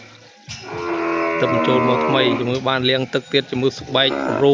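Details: Newly imported female cattle, part of a group of twelve cows on a farm, give a long, low, steady moo lasting nearly two seconds. A man then talks in short bursts.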